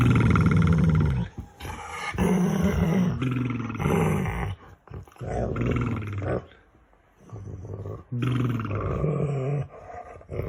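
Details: Dog making funny noises while playing games with its owner: low, growly, moaning bursts lasting one to two seconds, repeated with brief gaps, rough and throaty in tone.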